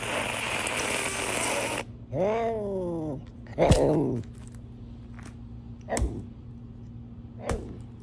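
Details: Serval giving a short series of arched, harmonic meow-like calls, each rising then falling in pitch, followed by scattered clicks and taps in a small indoor room with a steady low hum.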